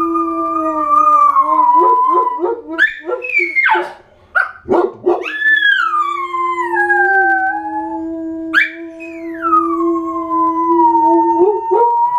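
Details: Several dogs howl together, long sustained tones holding steady and sliding down, with sharp yips and rising wails breaking in between overlapping voices.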